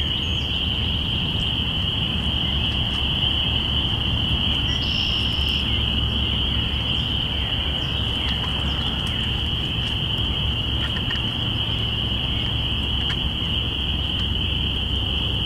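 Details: Many spring peepers call at once in early spring, April 5, 2017, high piercing peeps merging into a steady shimmering ring, with a low rumble of wind or distant traffic underneath; binaural recording.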